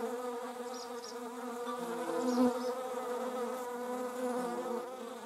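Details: Buzzing of honey bees mingled with wasps, an even multi-toned drone, with one insect passing close just before the midpoint for a short louder burst.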